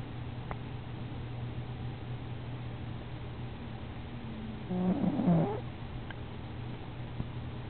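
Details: Bosco, a cat, snoring really loudly indoors: a steady low rumble throughout, swelling midway into a brief, louder harmonic rasp lasting under a second, then settling back to the even drone, with a few faint clicks.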